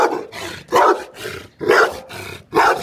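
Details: A male Rottweiler in Rawalpindi gives deep, harsh barks, roughly one each second, in an aggressive guarding display protecting its owner.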